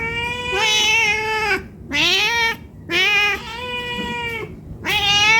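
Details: Domestic cat pleading for food because it is hungry. Long, loud, drawn-out meows with a wailing edge, some stretching over a second and bending downward, coming almost back to back with only brief gaps.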